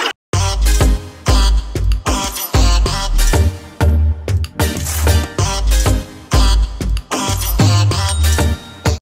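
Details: Loud electronic music with a heavy bass beat plays throughout, with short breaks and no animal voice.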